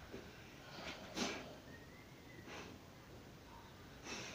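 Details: Saint Bernard snorting indoors: short, breathy bursts of noise, one strong snort near the start, then two more spaced over a few seconds against a quiet room background.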